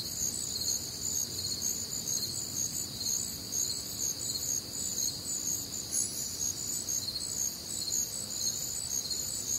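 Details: Crickets chirping on a warm, humid summer night in the American Midwest, a bright high chorus pulsing about twice per second, with one brief sharper high note standing out near the middle.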